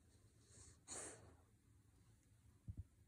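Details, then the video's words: A French Bulldog asleep and snoring with the whites of its eyes showing: one soft, wheezy snort about a second in, then faint low breathing and two small low thumps near the end in a quiet room. "When Your Frenchie Snoring With White Eye"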